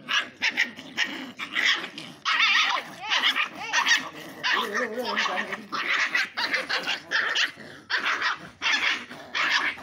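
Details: Angry puppies in a fight, barking and yelping in rapid, irregular bursts over about ten seconds, some barks with wavering tones, Tamil speech nearby.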